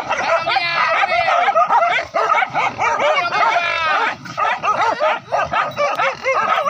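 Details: Several village dogs used with spears to hunt wild boar, yelping and barking together in a frenzied chorus of shrill, wavering cries that barely pause, chase running from forest to river.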